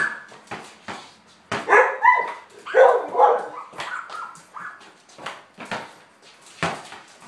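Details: Lady, a border collie playing ball in the garage, lets out a cluster of loud, excited barks and high whining yelps mid-clip, with rhythmic ball bounces before and after.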